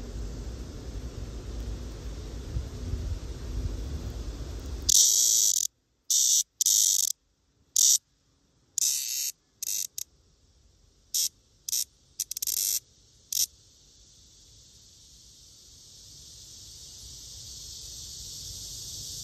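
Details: Black cicada (Cryptotympana atrata), examined to tell male from female: after a faint hiss, loud, harsh high-pitched buzzy bursts come in irregular stuttering bouts for about eight seconds, then a quiet hiss slowly swells.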